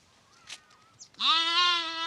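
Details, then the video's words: Lamb bleat from a lamb compilation: after a second of faint shuffling and soft noises, a loud, sustained, slightly quavering bleat starts and runs to the end. "voice of sheep , sounds of sheep , sheep sound , lamb noises"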